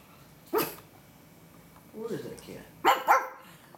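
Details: A pug gives sharp, short barks, with a quick double bark near the end, reacting as a person keeps asking where the cat she hates is.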